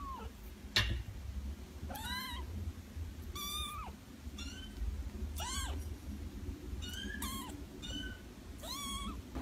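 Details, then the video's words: Kitten meowing in an ASMR recording, about six short arched meows spaced every second or so, each rising then falling, over a steady low rumble and a sharp click early on. "10-minute ASMR Meow"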